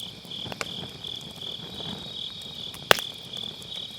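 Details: High, even insect trilling from grass on an autumn night fills the background as a round-pit wood fire burns, with one loud crack of firewood near the end; MKE600 microphone, low-cut on.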